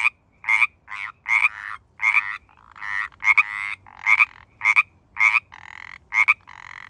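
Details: Pacific tree frogs in the San Francisco Bay Area during mating season: dense, overlapping raspy two-part croaks, some drawn out and buzzy, following one another almost without pause.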